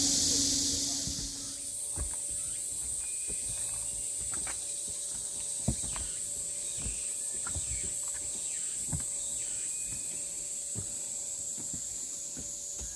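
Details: Summer cicada chorus on Namwon's Deogeumsan pine-breeze trail, South Korea, 16 August 2019: a continuous shrill buzzing band that pulses slightly, heard over crunching footsteps on the path and a few faint short chirps.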